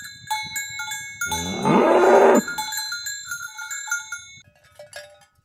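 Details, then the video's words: Cows driven toward their pen in the morning on a village road, with one short, loud moo lasting under a second amid steady clanking cowbells. "Suara Sapi Moo"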